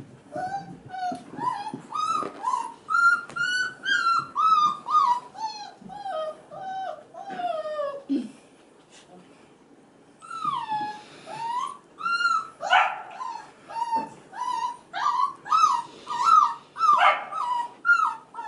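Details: Crying male F1b Goldendoodle puppies aged five and a half weeks, heard while female littermates play with kids; repeated high whines, some descending in pitch, break off briefly midway, then resume in quick succession, with a voice faintly present.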